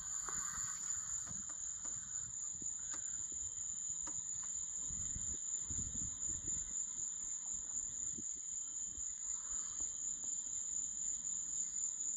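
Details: Grasshopper calling at night in Florida: a steady, high-pitched shrill tone held without a break throughout, with a fainter lower band beneath it and a soft, low rumble in the background.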